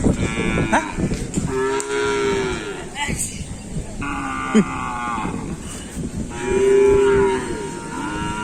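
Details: Cattle at a busy kerapan sapi bull race practice on the Asemanis field, Pamekasan, before a competition; three separate sustained moos, the middle one higher pitched, over a noisy, crowded background with voices.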